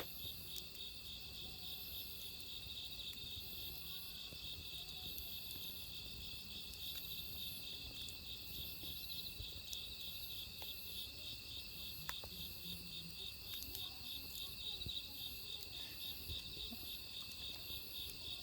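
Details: Crickets in autumn beside a burning wood fire: a steady high shrill trill runs throughout, overlaid by a second, higher chirping voice in short bursts repeated roughly every second; faint fire crackles beneath.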